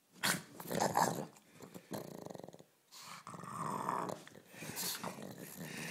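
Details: A pet pug named Ulisse growls while playing indoors, giving bursts of rough, raspy grumbling broken by short pauses, with some scuffling noise between the growls.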